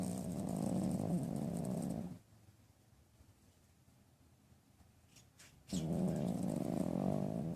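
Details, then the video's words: Loud snoring from Poof, a dog having a dream: a steady, low, grating two-second breath, about three seconds of near silence with faint clicks, then another long rumbling snore. "Poof Snoring and Dreaming"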